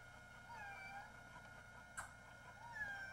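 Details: Domestic cat stuck on a roof for an hour and a half, trying to get into a house through a window and struggling across the ledge; two quiet, drawn-out wavering meows, one early and one at the end, with a sharp click between.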